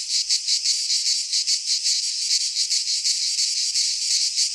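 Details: Cicadas of Greek fauna singing in a pine forest at midsummer; shrill buzzing wall of sound with fast pulsing beats and faint low rumble.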